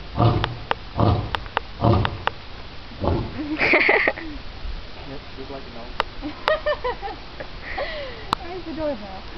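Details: A lion at the NC Zoo gives a series of deep, short barking grunts, with people talking nearby.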